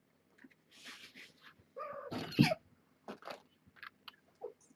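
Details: Kittens from a litter of seven born June 21 to Nala Se, a rescued stray at Purrfect Pals, during a weight check. A brief harmonic mew rises out of soft rustling and clicks.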